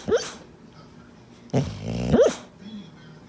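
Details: A female pit bull, asleep and dreaming, makes weird sounds: a quick rising yelp, then after a pause a longer droning, nasal moan that ends in another rising yelp.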